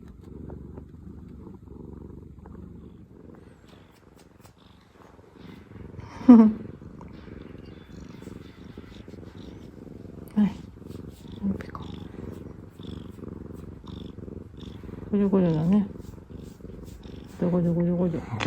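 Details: Soft, continuous purr from a relaxed former rescue cat, one of two sisters, joined by several short, sharp, rising cries and a strained, wavering voice near the end.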